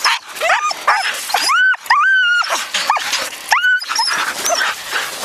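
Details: Siberian husky yearlings on a spring run in 2011, one of them Haidi, a noisy dog likened to a cow: repeated rising and falling howled yelps with bright harmonics, short yips between, a woman talking softly.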